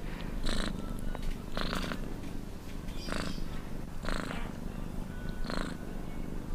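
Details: Purring cat, a deep continuous rumble with five airy, hissing surges spaced roughly 1.2 seconds apart, each marking a breath in or out.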